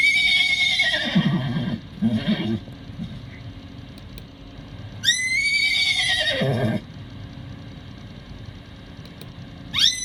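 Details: Miniature horse whinnying: a high, shrill call near the start that falls into a rough, shuddering lower tail, a second and louder descending whinny around five seconds in, and a third call beginning at the very end.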